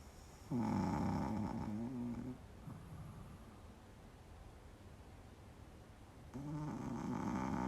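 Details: A black male Pekingese dog, asleep during the day, snores loudly with rattling, low-pitched breaths. Pekingese dog.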